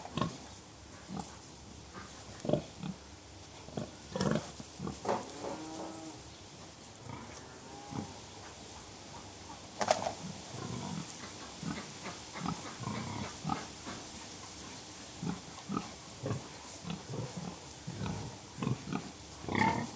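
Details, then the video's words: Contented pigs in a barnyard grunting softly and gently, short low grunts repeated irregularly through the stretch, several animals overlapping in relaxed conversation, with occasional brief sharper noises and steady background hiss. "Harmonious Grunts: Pigs in Serene Conversation"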